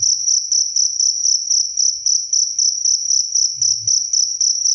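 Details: A cricket sings loud and clear, recorded for bird tutoring and as a bedtime sound: quick shrill pulses repeated almost four times a second without pause, plus one brief low hum near the end.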